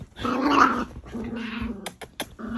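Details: Miniature Pinschers Bonnie, a merle female, and Draco, a chocolate male, scuffling over dominance: one long, loud rumbling snarl swells and fades, followed by lower growling and a few sharp clicks of movement.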